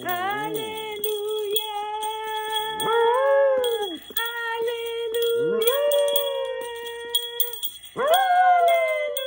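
A Havanese dog lets out drawn-out howls that swoop upward and then waver, coming roughly every two to three seconds. A trumpet holds long, level notes underneath, sometimes drowning the dog out.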